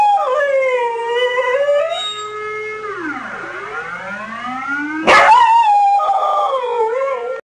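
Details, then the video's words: Dog mimicking a siren alarm with wobbling, tremulous howls that rise and fall in pitch; a siren sweeps down and climbs again in the middle, then the dog resumes a wavering, yodel-like howl until cut off. "Dog imitating siren alarm"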